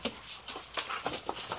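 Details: Golden retrievers wrestling at play after the older one comes outside; quick breathy broadband puffs repeat several times a second, like rapid panting with faint whimpery tones, close and indoors-sounding.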